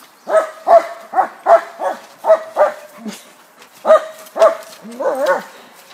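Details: Bulldog at a dog park, out with rescue dogs, barking in a fast run of about ten sharp, harmonic barks over six seconds, with a short pause midway and a wavering, whiny final bark.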